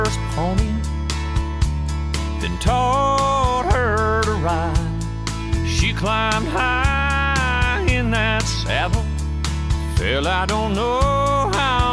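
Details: Country song with a singing voice and guitar over a steady beat plays throughout, with no animal sounds.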